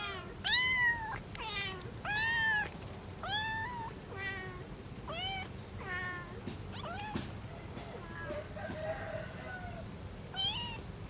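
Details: Mother cat or kitten among a family of a mother cat and three kittens, meowing in a quick run of bright, bending calls early on, then quieter scattered meows with faint background voices and room noise.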